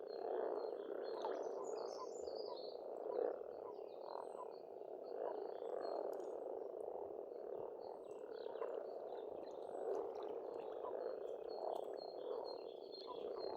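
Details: Steady spring frog chorus at a pond in Estonia, countless overlapping croaks merging into a constant rumble, with light bird twitters and high chirps sprinkled throughout.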